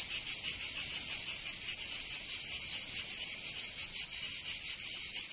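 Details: High, grating buzz of cicadas on a summer day in Provence, France. The insects' drone beats rapidly in regular surges, with no background sounds.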